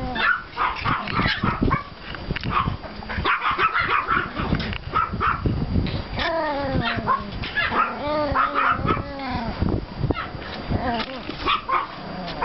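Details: Puppies of Pomeranian and klein spitz litters romp in a snowy yard on 5 April 2014, giving rapid shrill yips that overlap, and a run of whimpering whines in the middle.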